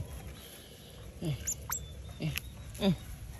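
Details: Rescued baby smooth-coated otters give brief, soft squeaky chirps, a few spaced about a second apart, around the house built for them to sleep in.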